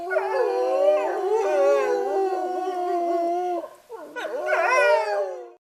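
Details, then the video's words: Wolves howling, several voices overlapping in long, mournful, wavering tones that slide up and down, one steady low howl under higher bending ones, a brief break near the end, then a rising chorus that fades out. "Ululati - Wolf howling"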